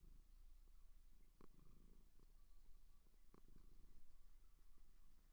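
A seal gives a deep, continuous purr, a low rumbling drone that pulses gently throughout. A few faint clicks and taps sound in the background.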